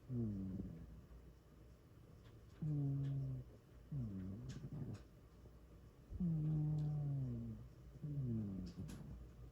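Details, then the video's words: Loud snoring from a sleeping cat, about five deep, buzzy breaths in under ten seconds, each a low harmonic drone that sags slightly in pitch, with quiet gaps and faint small clicks between. "My cat snores really loud"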